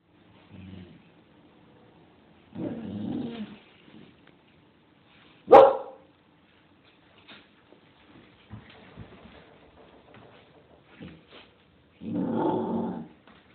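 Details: A nine-month-old female Bull Terrier gives a few scattered vocalizations, with one sharp, loud bark standing out.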